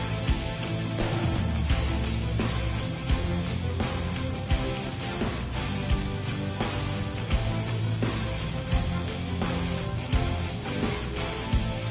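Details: Loud, steady heavy rock plays throughout, with strummed distorted electric guitars, a pounding drum beat and deep bass. No barking or other animal sound comes through.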